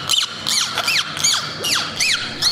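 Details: Captive dolphins recorded behind the scenes at SeaWorld Orlando while eating, swimming, playing and vocalizing: a series of high, squeaky whistles, each arching up and then sliding down, repeated about every half second with faint room hum.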